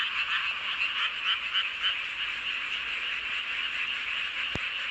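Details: Night chorus of frogs under the full moon, Hoengseong County, Gangwon Province, South Korea; quick, somewhat irregular croaks layered into a continuous rattling wall of sound, ending with a single sharp click.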